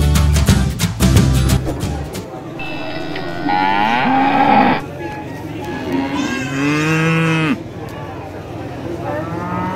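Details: Tame farm cattle waiting to be called: after about two seconds of loud, rhythmic thumping at the start, several long, drawn-out moos follow, some rising and then falling, with one lower moo and one higher, brighter moo overlapping toward the end.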